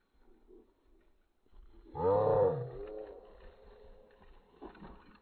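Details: Giant Schnauzer, Blackmoore Salazar, during a training session in July 2017 with German heel and send-ahead commands. One loud, harmonic, arching bark sounds at about two seconds, followed by softer rustling and faint noises.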